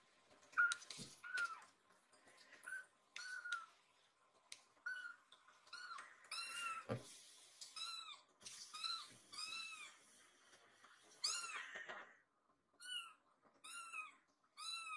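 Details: Rescued baby kitten lost indoors, mewing repeatedly as if asking after its friend; short high arched meows in bursts, some quick triplets near the end, with handling clicks and rustling between calls.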